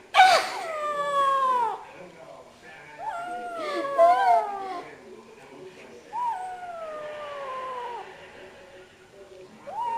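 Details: A cat yowls a series of long, descending meows, some wavering, roughly one every two to three seconds, with quieter mewing between them.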